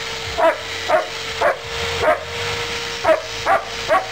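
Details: Rough-playing German Shepherd producing loud, abrupt barks separated by uneven gaps, roughly one per second with a longer pause midway, against a continuous low hum.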